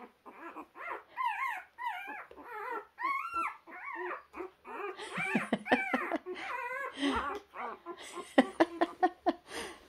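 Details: Puppy making its way along, crying in bending, up-and-down whines that give way to choppier yelps and a few sharp snaps of noise toward the end.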